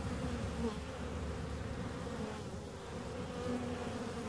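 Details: Continuous low droning hum of bees, a thick layered buzz with steady tonal bands, brief higher whines of individual insects passing near the microphone at about half a second and three and a half seconds.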